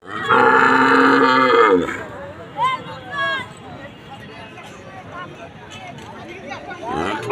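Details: Cow tired in strong sun, mooing: one loud, long, harmonic-rich bellow lasting almost two seconds, followed by faint chirping sounds, a man speaking and background music.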